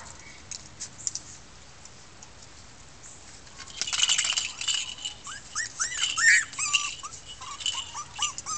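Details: Six red female Miniature Pinscher puppies from a 2013 litter protest after tasting freedom; faint rustling and low noise open, then a burst of clatter and short rising-falling squeaky whimpers repeated rapidly over the final seconds.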